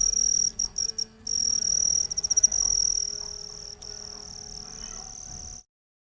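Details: Cricket sound made with the wings: high shrill trilling broken into short bursts and stutters at first, then a steady continuous trill that fades before cutting off.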